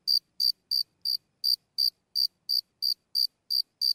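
A single cricket chirps up close in short, bright pulses, about three each second.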